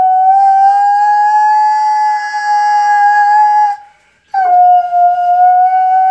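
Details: Alaskan malamute pet singing along with an ambulance siren: long, steady, even-pitched howls with rich harmonics, one held about four seconds, a brief silent gap, then another sustained tone.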